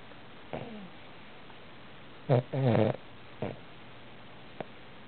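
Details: Nine-month-old Boston Terrier asleep and snoring indoors: a few soft snuffles, then a short rough snort and a longer buzzy, rattling snore, followed by a quieter snuffle.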